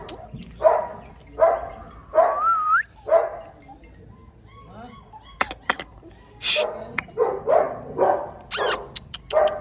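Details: German Shepherd puppy barking at a kennel in India: bright, high yips spaced unevenly, a brief rising squeal near the start, then a pause with sharp clicks before more rapid yaps.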